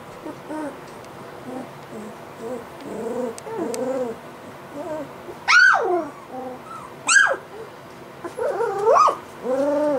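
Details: Three-week-old white Golden Retriever puppies giving soft whimpers and a few sharper rising-falling squeals, with quiet gaps between the calls.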